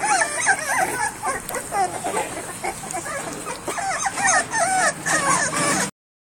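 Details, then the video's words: Three-week-old pit bull puppies whimper and yip in high, wavering cries, several overlapping at once; they also bark and growl. "Puppy Sound Effects(:"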